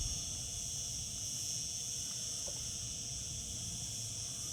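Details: Summer cicada chorus as a constant bright buzzing hiss, high and even from start to finish, with faint low-pitched rumble underneath.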